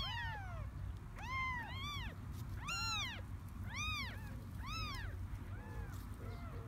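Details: Three small kittens born to a stray cat in a garden call with loud, high, rise-and-fall meows, about one each second, rich in harmonics, over faint low outdoor rumble.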